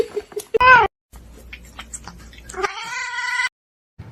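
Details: Cats in a fight; a short loud harmonic yowl early on, then a sustained steady wailing caterwaul of nearly a second near the end, with scattered thumps and a person exclaiming in between.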